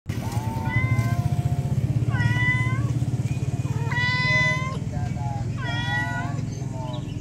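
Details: Female domestic cat meowing to call her kittens, among stray cats: about four clear, drawn-out meows with harmonics, each roughly a second long and spaced one to two seconds apart, over a steady low engine hum.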